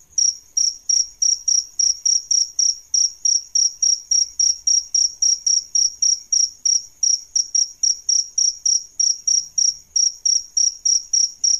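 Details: Adult male and female crickets (jangkrik), kept as a master sound for training songbirds, giving a high, pure ringing chirp repeated about three times a second, roughly 38 even pulses, with nothing else audible.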